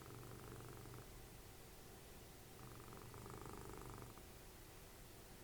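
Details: Cuddly house cat Dessie, Fritjof's mother, snores during TV time; a soft, low vibrating rumble comes in two breaths about a second long, separated by a quieter gap, over faint indoor background noise.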